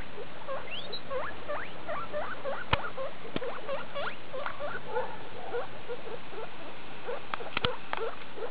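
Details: Skinny guinea pig mother with her babies, a litter born 2 August 2012, recorded 19 August 2012: many short, quick upward squeaks and chirps in a busy overlapping chatter, with a few sharp clicks.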